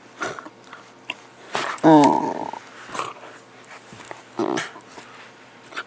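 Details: Two pet dogs playing indoors, a miniature pinscher named Max and a dog named Guinness: short rough growls and a brief strained whine-bark near two seconds, amid scuffling, thumps and clicking claws in a small room.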